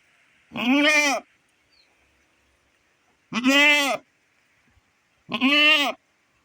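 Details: Domestic nanny goat kept back from grazing while her kid is sick with diarrhoea, separated from her herd and crying out for it; three loud wavering bleats, each under a second, spaced about two and a half seconds apart.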